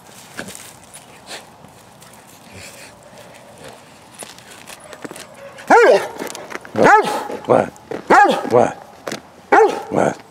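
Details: Female Bernese Mountain Dog, eight and a half years old, playing and rolling on a cold day in November 2017; after quiet rustling, five loud barks come in a loose series spaced about a second apart.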